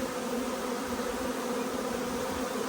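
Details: Honey bee swarm arriving as the marked queen, thought to be a Carniolan, is spotted; dense unbroken buzzing with strong hum bands, steady in loudness.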